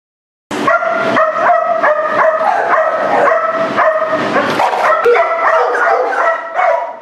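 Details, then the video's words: Aggressive dog in Miami under behaviour training, barking in a rapid, steady series of harmonic, yelping barks about two or three per second, continuing without pause for roughly six seconds after a silent start. "Agressive Dog Problems?"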